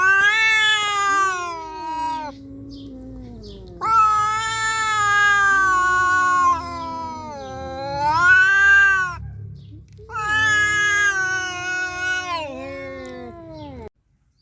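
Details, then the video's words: Calico cats fighting, a young cat versus a nursing mother: three long, loud, wavering yowls, each several seconds, bending up and down in pitch with a low rumbling undertone between them. "ศึกเดือดของวงการแมวสามสี🙀 เสี่ยวอ้าย vs แม่ลูกอ่อน"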